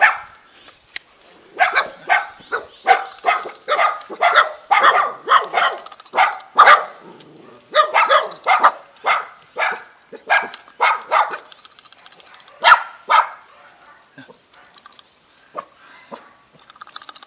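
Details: Two dogs, a Jindo and a spotted Baduk dog, welcoming a guest in a mountain-village front yard near Jeonju, Korea: a long run of quick, loud barks, roughly two per second, with brief pauses and slowing toward the end.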